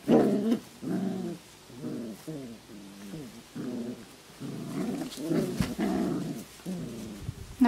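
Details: Puppies at play, recorded 27 July 2012: low, rough growling and grumbling bursts in quick succession, each lasting under a second, with brief pauses between; faint background noise throughout.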